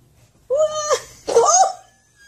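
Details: Cat uttering two short calls in quick succession, the first clear and level, the second louder, rougher and bending up then down, in a quiet room.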